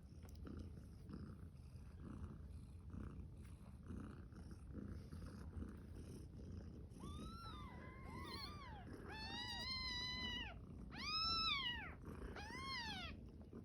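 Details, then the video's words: Kittens on day 5, a champagne cream tabby and a magpie among them, yawning and playing. Low rumbling comes first, then a run of high, arching mews that rise and fall, several close together toward the end. "Cute kittens yawning, playing and making cute sounds"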